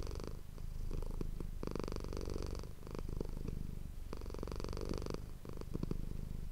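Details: Purring domestic cat Manis, recorded with an ASMR microphone: low rumbling broken into cycles, with loud breathy rushes of air every couple of seconds over the steady vibration.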